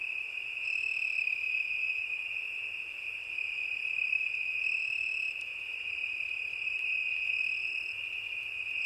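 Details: Crickets singing on a summer night: a steady, unbroken high trill held through the whole stretch, with fainter higher bands fading in and out above it and no other clear sounds.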